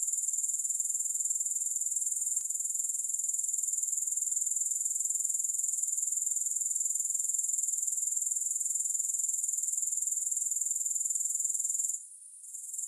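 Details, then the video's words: Grasshoppers chirring in a steady, very high-pitched, shimmering drone of rapid pulses, about four per second. The sound drops away briefly near the end, then returns. No music. "Grass Hopper Sounds"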